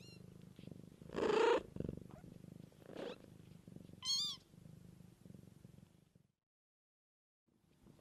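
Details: Cat mother looking after her kittens, reportedly wild; low continuous purring for about six seconds, broken by a loud meow early on and a thin high-pitched squeak midway, then near silence.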